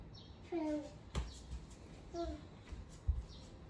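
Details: A Norwegian Forest Cat comes to welcome its owner home, uttering two brief, slightly descending meows about one and a half seconds apart, with soft thumps and knocks nearby indoors.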